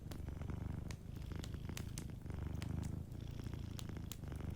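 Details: Close, rich purring of a sleeping cat by a warm fireplace: a deep pulsing rumble with a brief pause between breaths, and light fire crackles ticking over it.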